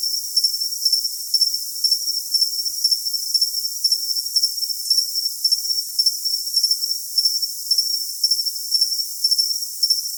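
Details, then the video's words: Crickets chirping in a thin, high trill, with brighter pulses recurring about twice a second over a constant hiss; all the sound sits high, with nothing low beneath it. "Cricket Sound for Tinnitus Masking"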